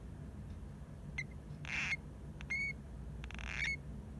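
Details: Pet hamster Hamuzo, half asleep and perhaps snoring, making an occasional call rarely heard from him: short high squeaky chirps with faint overtones, spaced irregularly, mixed with soft rustling bursts and a low steady room hum.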